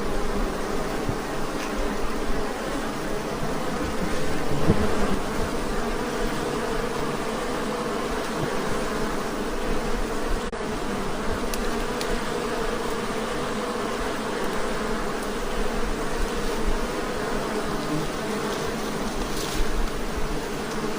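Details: A newly acquired, very aggressive honey bee hive gives a dense, steady drone of many bees humming together without a break.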